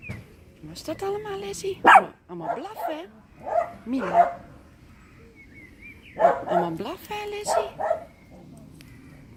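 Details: Several small pet dogs at home, alert and reacting to neighbours working in their garden, give short sharp barks in scattered bursts, with people talking in between and over them.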